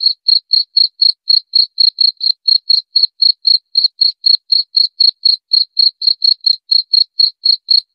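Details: A cricket chirps without pause, sharp high-pitched pulses repeating about four times a second at an even pace, with nothing else heard.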